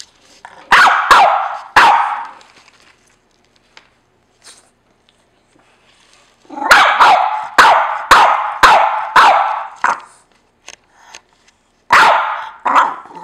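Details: A complaining house dog, apparently upset that another dog has taken his sleeping spot. Three quick barks, a pause, then a run of about seven loud barks roughly every half second, and a final pair of barks.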